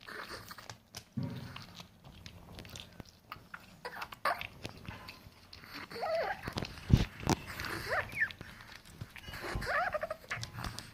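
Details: A Chihuahua eating: crunchy clicks and wet smacking chews come in irregular bursts over a soft, low background rumble.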